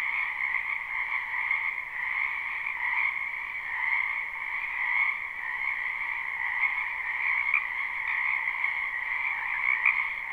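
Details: Spring wetland frog chorus, live and unlooped: many frogs croaking at once in an unbroken, pulsing drone with a higher and a lower band, steady loudness throughout, a few brief brighter notes near the end.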